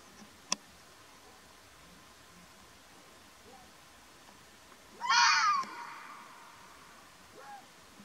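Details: Wild Arabian fox (mountain fox) in Oman gives a single harsh, raspy scream-like call lasting about half a second. Quiet stretches come before and after it, with a sharp click near the start and a faint murmur later.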